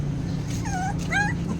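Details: Hungry puppies crying before feeding: two thin, high whines, the second sharper and rising, over a low household hum.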